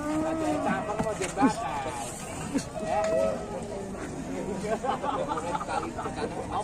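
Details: Raging cattle moo in several overlapping, harmonic bellows, with short rising-and-falling calls mixed into chatter and background noise from people nearby.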